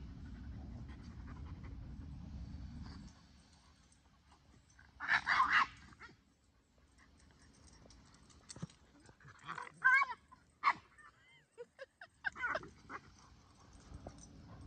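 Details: While at play with Kumo the Keeshond, Sully the Boston Terrier lets out whiny, yelping bursts, a cluster around five seconds and a run of squeaky cries between eight and thirteen seconds, after a low rumbling start.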